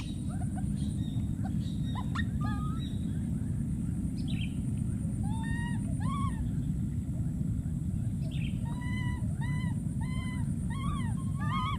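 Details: Calling for its friend, a wild baby monkey gives a long series of short, arched, whining cries that come faster and rise in pitch toward the end, with a continuous low background rumble.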